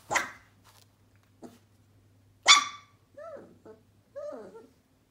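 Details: One-month-old Sheepadoodle puppy indoors giving two sharp, high barks, then two short whiny yips that arc up and fall away, with quiet gaps between.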